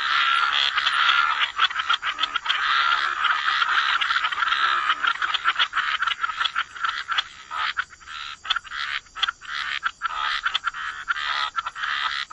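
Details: Gentle chorus of frogs by the waterside, rapid rattling croaks pouring out almost continuously, then breaking into fast separate pulses several per second toward the end.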